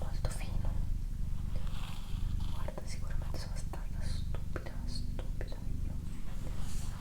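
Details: Female house cat Doroti purring for an ASMR recording, a deep continuous rumble pulsing in breath-length waves, while a person whispers softly over it with occasional sibilant hisses.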